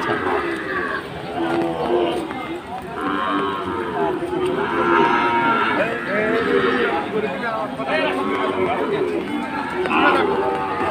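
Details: Sahiwal bulls in Chattogram, Bangladesh, on the second day of Eid, in rain: several low, drawn-out harmonic moos overlap throughout, some rising and falling, over steady background chatter from people nearby.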